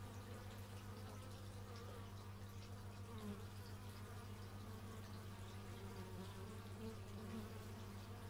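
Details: Many bees humming together outdoors, captured in stereo with an x/y microphone; a continuous low droning buzz with brief passing wingbeat tones, over a persistent low engine-like hum in the background.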